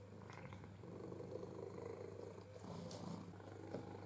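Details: Domestic cat, a playful, food-loving male, purring indoors while learning to use an interactive ball feeder; a steady low rumbling purr runs throughout with a brief pause midway, with faint handling noises.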